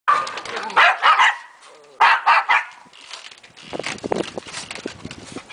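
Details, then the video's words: A foster dog rough-housing with three other dogs, giving bursts of loud, harsh play barks and growly yips in quick clusters, followed by scuffling and softer grumbling noises of wrestling. "Willy rough housing with our dogs"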